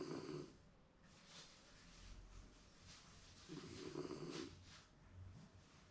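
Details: Shiba Inu napping contentedly at home, perhaps dreaming: low rumbling snores, each about half a second to a second long, spaced roughly three and a half seconds apart, with soft indoor room noise between breaths.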